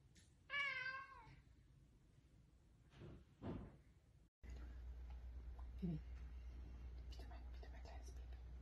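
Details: Cat giving one loud, drawn-out meow rich in harmonics and slightly wavering in pitch, followed by a woman speaking German and then English about pouring rain, over a steady low hum.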